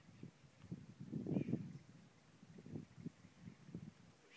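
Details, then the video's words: Howler monkeys at San Juan del Sur give deep, throaty grunting roars in quick pulsed bursts. The loudest bout comes early, then shorter, softer grunts repeat at uneven intervals, with a faint thin note above. "Howler monkeys San Juan del Sur"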